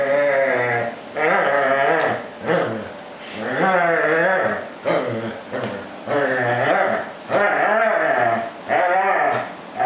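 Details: A corgi, happy rather than in pain, holding onto and shaking a plush fish toy during play; wavering, whiny moans that rise and fall in pitch, coming in bursts of a second or two with short breaks.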